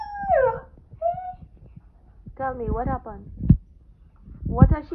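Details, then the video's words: Siberian husky that wants to play, giving a run of whiny, wavering vocalizations: a falling whine, a short level whimper, then warbling, rising-and-falling howl-like calls, with a person talking back indoors between them. "Husky wants to play"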